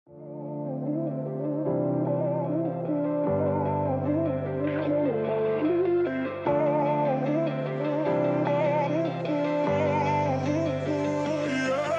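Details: Instrumental music with a gliding theremin-like melody over sustained chords and guitar, held steady for the whole stretch with no animal voices.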